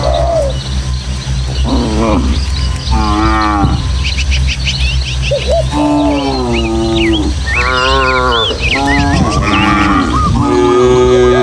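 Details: Dozens of tame village cattle walk as a herd through the countryside, over hills and footpaths, heading to their pen and running about excitedly. Several overlapping moos swell and fall, some rising and wavering, while birds chirp and twitter above in a light breeze.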